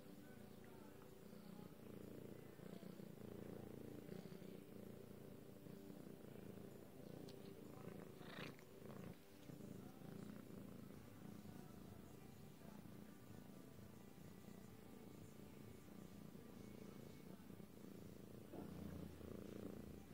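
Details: Lilac British Shorthair cat purring at length, a rich low rumble that swells and eases slightly, interrupted briefly by a few soft rustling bursts around the middle.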